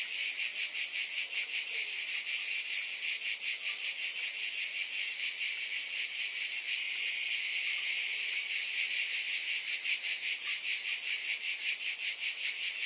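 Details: A steady wall of cicada buzzing, high and sizzling, pulsing evenly around two and a half beats per second throughout, with no other sounds.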